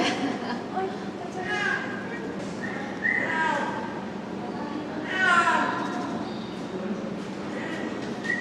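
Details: Liebe, Japan's oldest snow leopard, a 21-year-old female at Hamamatsu Zoo, walking outdoors on a rainy day, 12 July 2024. Her voice is somewhat lower than in youth but strong. About three drawn-out, rising-then-falling mewing yowls rise over constant crowd chatter.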